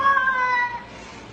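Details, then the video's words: A short, strong meow from a talking house cat, starting loud and steady, then gliding slightly downward and fading within a second, with no other clear sounds. "Even Cats Can Talk - Best Talking Cats"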